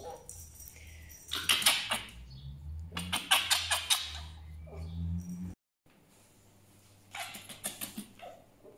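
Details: Grumpy pet fox, angry sounds indoors: loud, harsh, raspy bursts in rapid pulsed series, two main runs, then a short silence and a fainter final burst, over a low steady hum.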